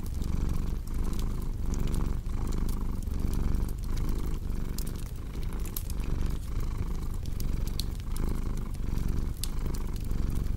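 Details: Cat's deep, continuous purr rising and falling in breath cycles under a second long, set against the snapping crackle of a fireplace in a calm, sleep-oriented ambience.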